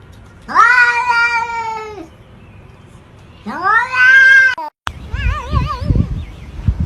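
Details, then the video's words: Talking cat giving two clear, level meows about two seconds apart, each ending with a downward slide, followed by wavering warbled tones and low background thumps. "Funny talking cats compilation"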